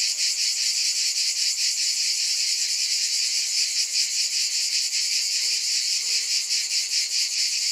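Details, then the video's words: Cicadas in a dense, steady high buzzing chorus that throbs in regular pulses about two or three times per second, with no other clear sounds. "Scintillating Cicadas"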